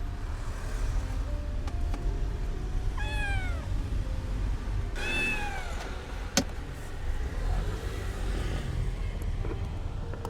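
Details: Abandoned kitten rescued after two days freezing in -11°C snow gives two bright, downward-sliding meows about two seconds apart over a steady low rumble, with a sharp click near the end.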